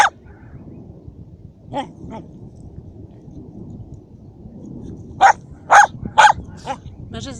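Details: Dachshund named Szogun hunting and killing a mouse; scattered barks, a couple early, then a tight cluster of three loud yaps near the end, over a low steady background hum.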